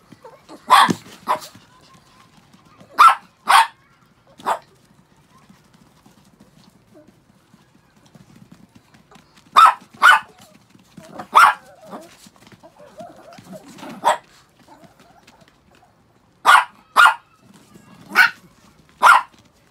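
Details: Six pet Chihuahuas after a shampoo: sharp, high, short barks come singly or in quick pairs and triplets, about fifteen in all, separated by quiet gaps, with faint low rustling between them.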